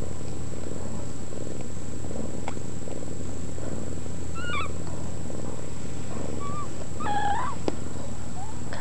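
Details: Sphynx cat and kittens from a new cattery litter: a continuous low, even purring rumble, broken by short high kitten mews near the middle and a rising, slightly longer mew toward the end.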